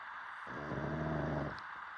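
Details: A dog asleep and snoring: a single buzzy, vibrating snore about one second long, with a low harmonic drone, between quiet breaths.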